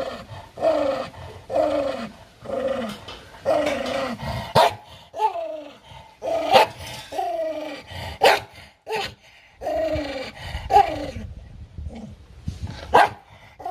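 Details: An angry dog guarding its food gives repeated descending snarls, one roughly every second, mixed with abrupt loud barks and snaps.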